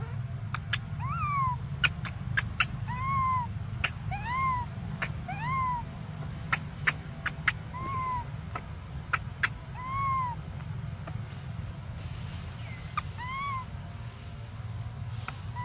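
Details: Young monkey Briar, desperate for milk, crying in short arched tonal wails, rising and falling, about one every second, mixed with frequent sharp clicking and tapping noises over low background rumble.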